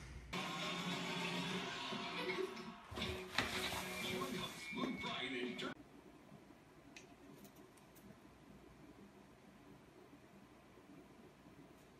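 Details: Speech and music play for about six seconds, then only a faint indoor background remains.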